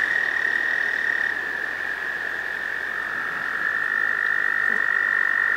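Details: A male American toad in a pond gives a long, steady, high musical trill, its spring breeding call (usually in May) to attract a female.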